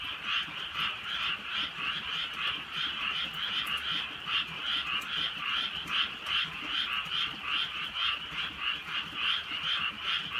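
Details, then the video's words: Rainy night in the countryside with frogs croaking; overlapping ratcheting calls merge into a dense chorus that rises and falls roughly once a second, faint high clicks scattered throughout. "개구리 소리"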